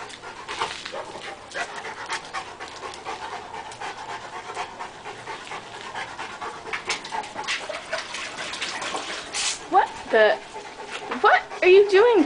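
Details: Puppies on a play date pant in quick breathy bursts amid scuffling, then give several high, wavering whines and yelps toward the end, with people talking nearby.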